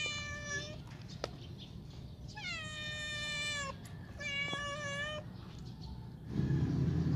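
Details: Pet cat wanting to go outdoors, calling three times with long, strained meows that hold steady and then drop at the end, over a steady low background rumble with a burst of noise at the close.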